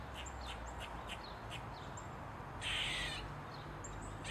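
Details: Eastern gray squirrel, tail wagging as it 'dances' on a mushroom, gives a loud, hoarse squealing bark lasting about half a second. It follows a run of light, evenly spaced chucks.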